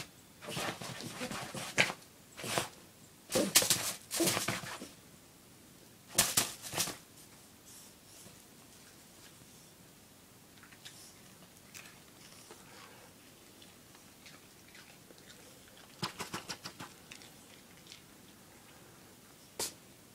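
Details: Pepe, a pet dog indoors, barking for a treat: clusters of short, sharp barks through the first seven seconds, then a quiet stretch with a few brief clicks and taps near the end.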